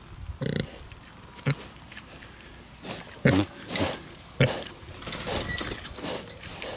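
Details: Two Bentheimer pigs, a rare breed, on a meadow in the Lower Rhine region of Germany; a few short, harsh grunts at irregular intervals, separated by quieter rustling outdoor background.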